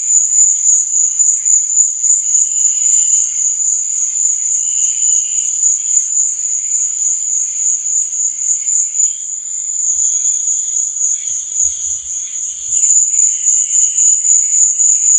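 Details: Crickets at night produce an unbroken shrill high trill with rapid rhythmic swells, overlaid by faint intermittent lower chirps and a few soft low thumps near the end.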